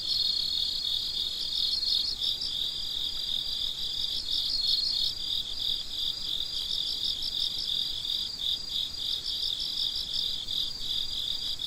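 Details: Midnight cricket chorus: shrill, rapidly pulsed chirps repeating without pause, one caller trilling in bursts over a steady high drone from others.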